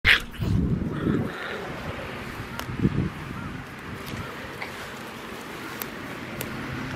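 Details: Three San'in Shiba Inu puppy siblings playing together in a farm field; a short sharp yelp opens, followed by low scuffling and rustling as the puppies tumble about outdoors.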